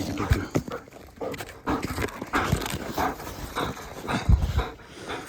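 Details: Stick-loving German Shepherd Raya, a 1.5-year-old female, breathing heavily while playing with her stick outside; rough, irregular panting bursts mixed with low thumps and scuffling, growing louder near the end.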